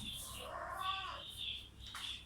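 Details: Lili, a cat, back again at its new home: a single drawn-out meow that rises and then falls, with a hiss of background noise and faint higher tones.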